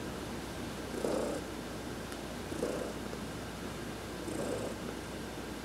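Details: Massaged while lying in the sun on November 19, 2020, adopted cat Heidi purrs steadily, a low droning rumble pulsing louder about every one and a half seconds, with one faint click.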